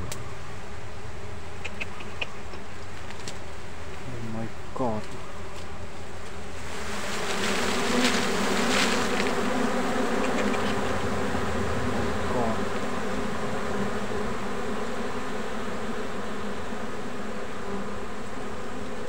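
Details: Wild honey bees found in a forest hum in a steady, low drone, with a person's brief exclamations.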